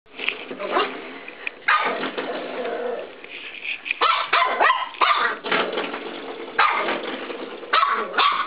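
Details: Cisco, a 13-week-old Norfolk Terrier puppy, attacks a spring door stop in a bedroom, giving short harsh yapping barks in irregular bursts, with scraping and rattling noise between them.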